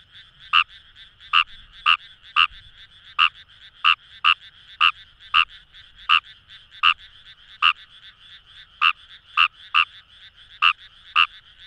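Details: Fejervarya kawamurai in rice paddies near the Kamo River, Itoshima, Fukuoka: loud clipped croaks coming in irregular bursts, about eighteen in twelve seconds, over a continuous buzzing frog chorus behind.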